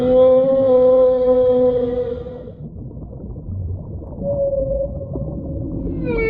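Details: Whale calls: a long loud harmonic wail held for about two seconds and slowly dropping, a pause of low rumble, then a softer steady tone and the start of another rising cry.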